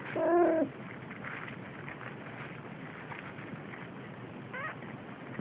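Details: Brief, slightly wavering meow from a Siamese kitten while playing, half a second long and dipping at the end, followed by steady hiss and a faint, short chirp-like sound.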